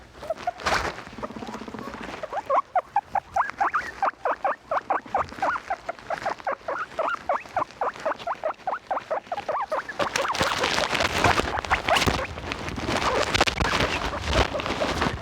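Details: Pet guinea pigs calling loudly: a fast run of short, sharp, harmonic squeaks repeated several times a second for about eight seconds, then broader rustling and scuffling noise.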